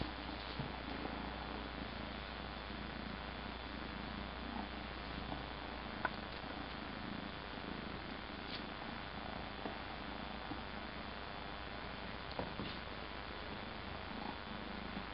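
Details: Purring of a 13-week-old Egyptian Mau kitten facing the camera indoors: a steady low rumbling drone throughout, with a few faint clicks and soft handling noises over quiet room hum.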